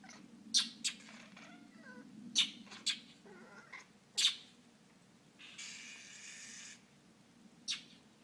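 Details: Domestic cat chattering at a mockingbird that scolds it from the sidewalk outside a house: quick, stacked chirping bursts, with loud, sharp, harsh bird chacks breaking in now and then, and a short hiss of noise near the end.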